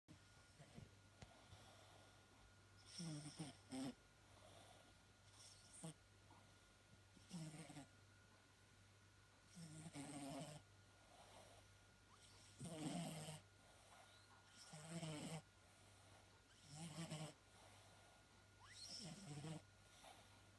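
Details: Mitka the domestic cat snoring: rough, breathy rasping snores come in regular bursts about every two to two and a half seconds, with a steady low hum filling the quiet gaps between breaths.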